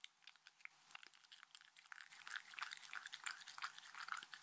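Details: Mindy, a pet Shetland Sheepdog, eats dog-friendly treats indoors in a small room, her dense crunchy chewing a rapid run of sharp clicks and crackles that grows louder and busier through the second half, with no talking.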